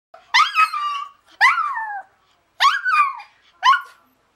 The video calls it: CUTE Toy Poodle Howls